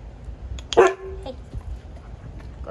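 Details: A single short, sharp dog bark rising out of a quiet room, followed by soft handling noises and faint background sounds.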